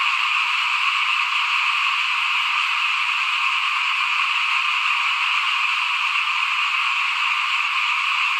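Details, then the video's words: Front-yard frogs in the 2021 rice sowing season, heard as a thick, uniform chorus of countless callers, a high buzzy hum holding steady throughout. "ฟินๆกับเสียงเขียดร้องหน้าบ้าน ตอนหว่านข้าวเตรียมปลูกปี2021"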